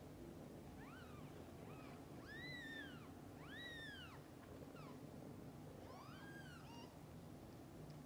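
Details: Mother cat and kittens together: a string of thin, high, arched mews, some short and quick, two long and swelling, spread across the stretch over faint background hum.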